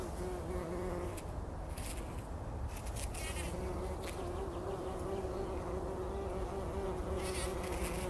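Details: Bumblebees work and bathe in pollen inside poppy flowers at dawn, before sunrise, in 2019. A continuous deep buzzing drone holds fairly even throughout, with a few soft crackling rustles at the start and near the end.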